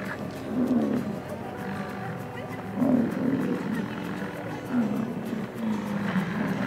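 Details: Massive bull bison at the start of the summer rut, pre-rut, in the Jackson Hole, Grand Teton and Yellowstone area; deep, rough roaring bellows swell and fade about every two seconds, with steady tonal music underneath.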